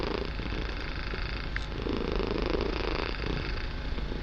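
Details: Domestic kitten purring loudly and steadily while relaxing, a deep rough rumble held without a break, swelling slightly in the second half, with a small faint tick partway through.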